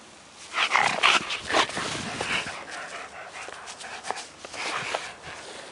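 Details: German Shepherd dog Kia while playing: a cluster of sharp, harsh barks in the first two seconds, then a few softer, scattered barks and rustling outdoors.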